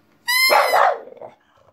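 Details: Female French Bulldog barking along to a pipe: a short pipe note, then one loud, rough, broadband bark-howl lasting about half a second that trails off into quieter grumbling.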